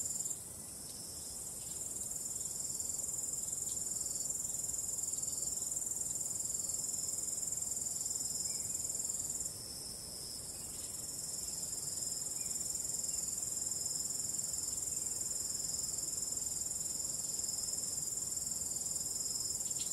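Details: Ambient night scene of crickets and calm wind: a sustained piercing high-pitched chirring chorus for twenty seconds, swelling after a quiet start, with a short dip midway and low airy background noise.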